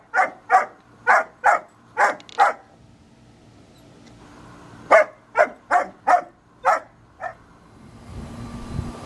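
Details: During play between a 5-month-old German Shepherd puppy and an American Eskimo Dog, a run of six rapid, sharp barks comes first. A short pause follows, then about seven more, and faint rustling ends it.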